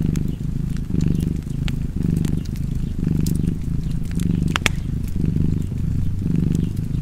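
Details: Cozy cat purr next to a crackling fireplace, a deep buzzing drone pulsing in breath-length waves, with scattered pops and snaps from the burning fire.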